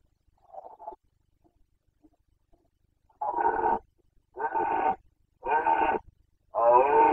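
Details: Rutting Carpathian stag in Bucovina, breeding season 2021, voicing the boncănit: a faint short call, a pause, then four loud, harmonic roars in steady succession, roughly one each second.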